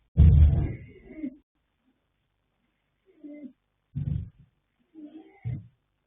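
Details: Yanta, a sleeping colt foal born 21 January 2026, sired by Fast Force out of Pink Blossom, snores: one loud, low, rumbling burst lasting about a second, then softer snorts near four and five and a half seconds, with silence between.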